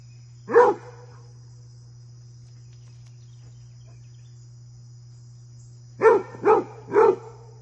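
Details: Basset hound named Fred goofing off and playing with deer; one deep bark, a long quiet stretch, then three quick deep barks about half a second apart, over a steady low hum.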